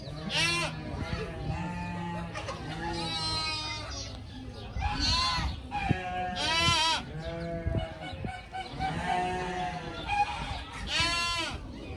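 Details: Playful pygmy goat kids in a group, running, jumping and headbutting, give wavering, nasal bleats that overlap one another in quick succession, with a low steady hum and some human voices underneath.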